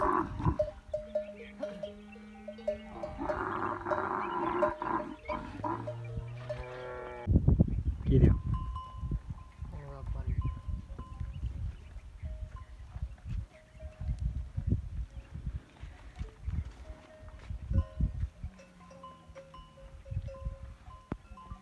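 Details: Camel in masti, the rutting season: drawn-out harmonic moaning for the first seven seconds, then loud, low, rough rumbling bursts around eight seconds, followed by softer low grumbles. Ringing bell tones and human voices are heard throughout.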